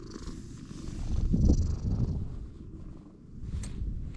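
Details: Stray cat purring right after first meeting a person: a low, continuous rumbling throb, swelling louder around the middle, with faint rustling and handling noises.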